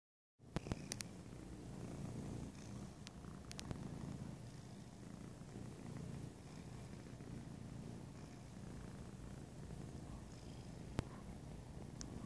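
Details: A happy pet cat that has lost a few pounds purring steadily indoors; a continuous low rumbling purr throughout, with a few sharp clicks and taps near the start.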